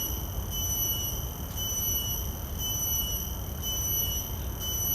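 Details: Field recording of a common cicada taken with shotgun microphones on a Zoom F3 recorder: a continuous shrill tone with stacked overtones, gently throbbing about once a second, above a constant low background rumble.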